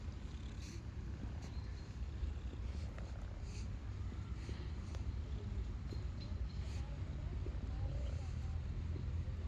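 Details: Stray female cat, once very shy and now happy to be petted by a person, purring with joy: a steady, low, rapidly pulsing rumble throughout, with faint scratchy handling noises above.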